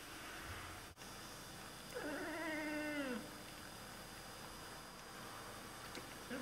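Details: Oriental Siamese cat indoors chattering at birds; a single drawn-out, falling meow lasting about a second amid faint room noise.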